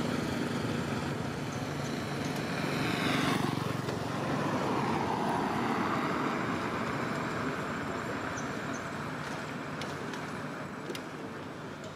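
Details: Loud rumbling vehicle and aircraft-like traffic noise outdoors, with faint speech in the background and no clear animal calls.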